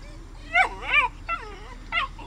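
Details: Aggressive Samoyed fighting with his brother gives four high, arching whining yelps over about two seconds, each rising then falling with bright harmonics, the first two longest, set against a low background hum.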